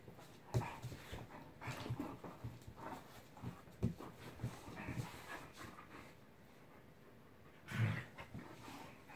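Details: Wally, a Corgi, plays indoors with the bigger dogs of the house, recorded August 2, 2017: quiet, rhythmic panting and soft huffing breaths, with a louder breathy burst near the end and low room noise.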